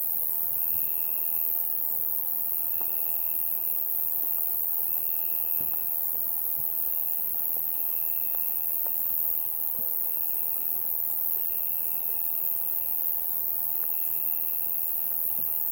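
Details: Summer-night insects form a constant shrill high chorus. A mid-pitched trill comes in pulsing bursts of about a second, repeated roughly every one and a half to two seconds, with faint clicks scattered through.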